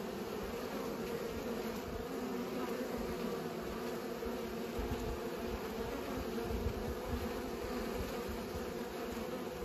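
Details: Bees pollinating, filling the air with a steady, droning hum of overlapping wingbeats that holds an even pitch throughout, over a soft low rumble.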